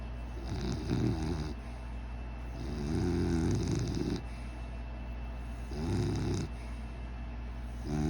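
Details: Sleeping pet dog snoring: low, rumbling, raspy snores that come in bursts of one to two seconds, about four across eight seconds, each roughly two to three seconds apart, with quiet breathing gaps between them.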